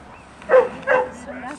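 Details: Dogs on the grounds of a dog training school, March 2014: two quick barks spaced roughly 0.4 seconds apart, followed by softer tonal whimpering.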